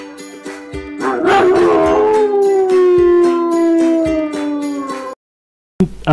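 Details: Dog breaks into a rough wavering cry that stretches into a long descending howl, fading after about five seconds, set against plucked-string music.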